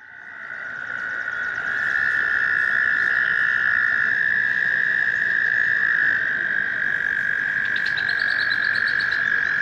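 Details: American toads in a spring breeding chorus in a stream, seeking mates: long, steady, high musical trills overlapping continuously, with faint bird chirps near the end.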